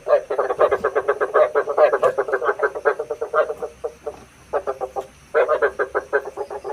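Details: Frog calls used as a lure for night trapping: dense runs of rapid, pulsed croaks, several callers overlapping, with a brief pause in the middle before the chorus resumes.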